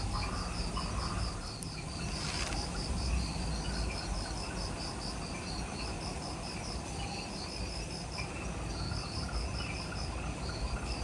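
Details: Jungle insects at dusk just after sunset, Ishigaki Island, Okinawa, Japan: continuous rapid high chirps in rhythmic bursts above a lower steady trill, with a dense low background hiss and a brief click early on.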